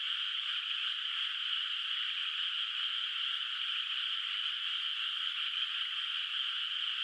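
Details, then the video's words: Many frogs calling together from a moonlit rural rice field at night, water not yet planted, at a distance; their trilled voices blend into one steady, seamless hum without breaks. "月明かりの田んぼで響くカエルの声 懐かしい田舎の自然音BGM Frog Sounds in a Moonlit Nostalgic Countryside Night Ambience"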